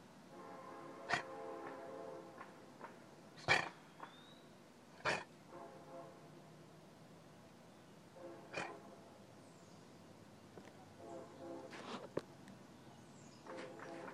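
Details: A Weimaraner gives long, tonal, moaning whines that rise and fall, broken by short, sharp barks or snorts in uneven bursts every few seconds; the owner thinks the dog is trying to warn him.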